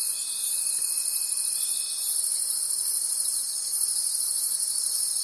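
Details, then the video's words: Crickets calling at night in a forest: a dense, shimmering high-pitched trill that swells and fades in steady pulses, with a thin steady whine underneath that drops out partway through. "Forest Sounds and Cricket Conversations at Night"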